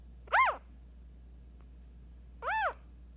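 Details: Eight-day-old Scottish Terrier puppy, a female, gives two high arched squeals, each rising then falling, about two seconds apart, with a low steady hum behind.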